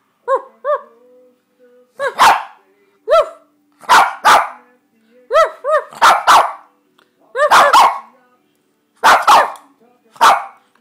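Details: A one-year-old Shih Tzu, prompted by its owner to bark, gives short high yips followed by sharp, harsh barks, repeated in bursts.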